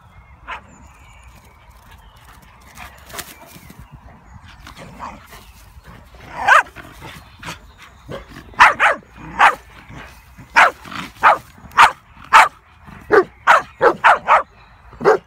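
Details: Komondor dogs barking outdoors beside a ditch, urging another Komondor that hid in it to come back up; quiet at first, then loud sharp barks from about six seconds, coming in quick irregular bursts, roughly a dozen.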